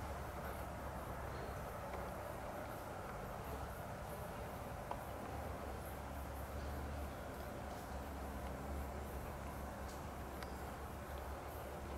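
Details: Quiet, steady low rumble with broad hiss and a few faint ticks, and no animal sounds.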